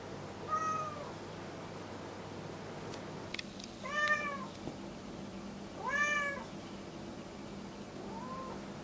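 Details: Pet cat Kuri at home, upset by fellow cat Kinako's unblinking stare, comes to its person to complain; a series of four short arched meows about two seconds apart, the last one softer, with faint clicks and low room hum.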